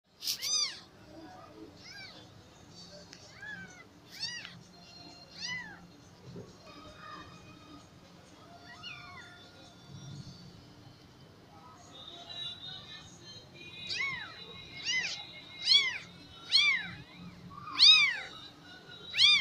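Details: Persian cat with four kittens, high-pitched rising-falling meows repeated irregularly, growing louder and more frequent toward the end, with a faint steady hum beneath.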